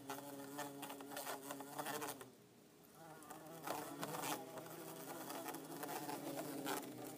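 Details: Two pet bumblebees, an orange-belted and a yellow-faced, kept in a tank: a steady low droning buzz with rich harmonics, broken by a short lull near the middle, plus light tapping and ticking against the enclosure.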